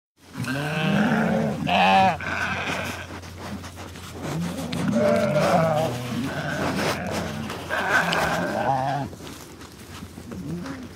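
Sheep bleat repeatedly, wavering baa calls overlapping from several animals.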